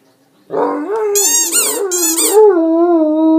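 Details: Dante, a pet Great Dane in Outagamie County, howls after squeaking his toy: a deep, wavering, harmonic-rich howl that starts abruptly. High, rippling squeaky bursts break in twice midway, before the tone settles into a long, steady hold.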